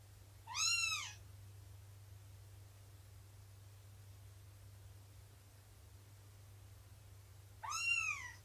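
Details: Two sharp, high, arched mews about seven seconds apart, with near silence and a low background hum between them, from cats indoors during Shelby's morning nursing and play session with her kittens.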